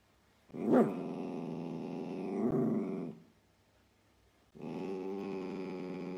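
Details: Dachshund in a home pet compilation making two drawn-out, tonal growling whines, the first opening with a sharp yelp, a quiet gap between them.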